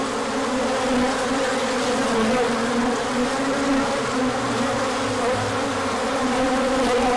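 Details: Many bees swarming out in a big orientation flight as the sun returned after a cold spell, 24 March 2024; continuous droning hum with overlapping pitches drifting up and down.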